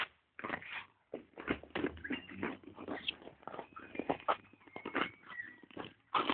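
A Belgian Malinois gives rough, broken barks and grumbles, with a few thin whining notes between them.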